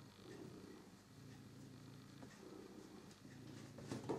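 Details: A soft, low purr from Figaro, a pet cat playing with his beloved toy mouse, rises and falls in even breathing cycles under a faint hiss, ending with a brief louder scuff.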